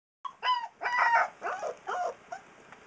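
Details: Three-week-old Alaskan Malamute puppy singing: a quick run of short, wavering yelping howls that rise and fall, about five bursts in under three seconds.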